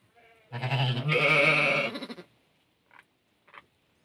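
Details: Hissar sheep on a farm during a ewe's lambing: one loud, quavering bleat, rich in harmonics, lasts almost two seconds. Two brief, faint sounds follow, then quiet.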